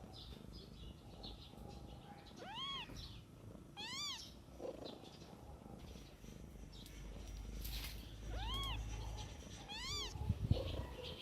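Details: Kittens in the care of their mother cat, outdoors in nature, giving four arched, rising-then-falling harmonic mews in pairs around the third, fourth, ninth and tenth seconds over a low rumbling background.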